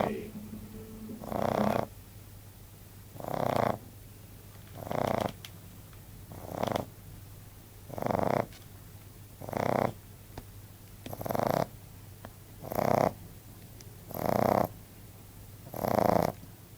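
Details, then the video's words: Bon, a 14-week-old male Frenchbo puppy, snoring loudly in his sleep: raspy, breathy snores come in a steady rhythm about every one and a half seconds, each a rough burst with quiet pauses between. "Frenchbo (Bon) Snoring - 14 weeks old"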